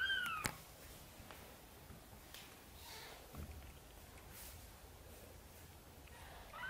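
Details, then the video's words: Mother cat gently meowing, asking for help to bring her tiny kittens into the nest; a short rising-falling meow opens, a softer one closes, with quiet room rustling between. "Mother cat is gently meowing, asking for help to bring her tiny kittens into the nest"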